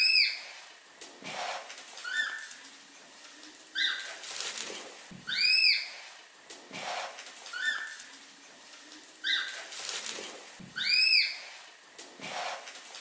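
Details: Red panda squeaking repeatedly, short rising whistled notes with ringing overtones coming in pairs about every two to three seconds, over steady rustling noise.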